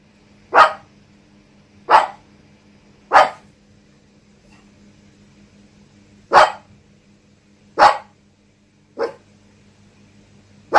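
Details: Dog barking at home after its owner returns from work, on an overcast evening in Yokohama with local rain forecast; seven sharp, loud single barks spaced one to two seconds apart, with a low steady hum beneath.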